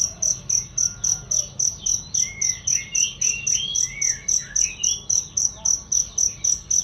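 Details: Cricket recording meant for training songbirds: bright, high chirps pulsing evenly almost four times per second, with soft gliding bird whistles in the background.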